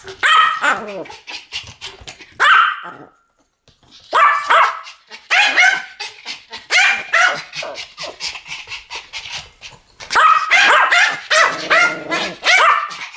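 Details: Two Pomeranians barking together in a duet, high-pitched yaps in loud clusters separated by short pauses, some barks cracking into sharper yips.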